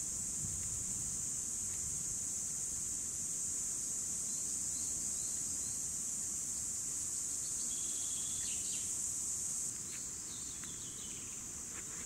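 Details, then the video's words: Cicadas from 2017 keep up a dense high buzzing drone that drops slightly in loudness near the end; faint bird chirps and short whistled notes are scattered over it. "Цикады 2017 / Cicadas"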